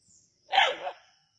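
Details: Native dog barking during a snake hunt at Keezhadi: one sharp, harsh bark of about half a second, rising quickly and fading, over a steady high insect drone.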